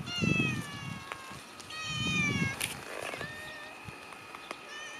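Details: Cats kept inside a fence give drawn-out, harmonic meows, one after another, each about a second long, with a human voice murmuring low underneath and a few sharp clicks.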